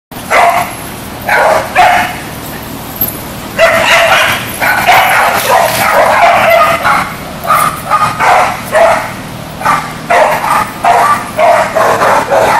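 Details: Dog barking while chasing a ball: loud, sharp barks and yips in quick bursts of two to four, repeated steadily for about twelve seconds over a constant background hiss.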